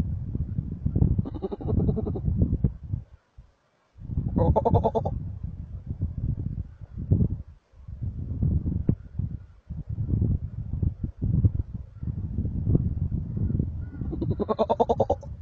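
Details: Wild markhor in Chitral Gol National Park, Pakistan: two nasal, harmonic bleats about ten seconds apart, each under a second long, over heavy low rumbling and handling or wind noise.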